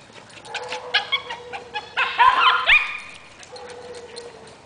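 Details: Maltese dog chasing a Boston terrier around a yard, giving a steady thin whine under squealing, chattering yips that climb higher and louder near the middle, then settle back into the whine.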